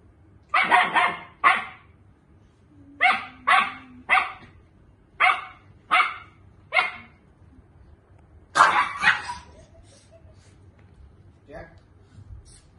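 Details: Dog barking, a German Shepherd set against a Miniature Pinscher: loud sharp barks in pairs and short bursts, about a dozen across the clip, with a longer flurry of rapid yips near the end, then quieter scattered barks.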